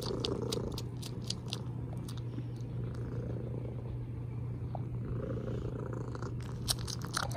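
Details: Pet cat giving a loud continuous purr, a deep even rumble under a series of sharp short clicks and smacks like kisses, busiest at the start and again near the end.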